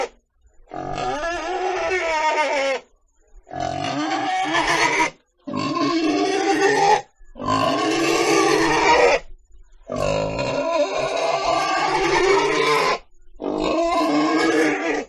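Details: Pig producing long, drawn-out squeals of about two seconds each, six in all, strained and harmonic with wavering pitch, separated by short pauses.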